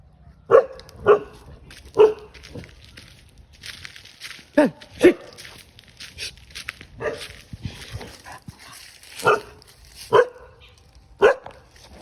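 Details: Aggressive guard dog barking to chase a monkey away outdoors: sharp, loud single barks and short pairs spaced irregularly about a second apart, with quieter growly barks in between.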